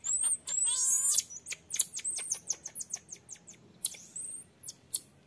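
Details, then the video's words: Baby marmoset pleading to suckle as its mother strictly refuses. High whistled calls open, then a quick run of sharp chirps about four per second, with a few longer piercing whistles between them. "Малышка - игрунка просит у мамы пососать сисю, но мама строго отказывает."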